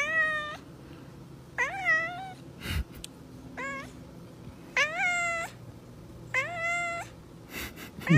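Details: Pet cat in a room, reacting to food, gives five insistent meows roughly every one to one and a half seconds, each rising then bending down, with short thumps and clatters between calls.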